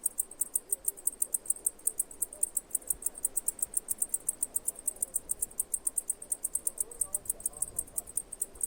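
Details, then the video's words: High, clicking cicada chirps in a rapid, regular series, each pulse short and sharp, running steadily throughout with faint low rumble behind. "Cicada Chirping Sounds"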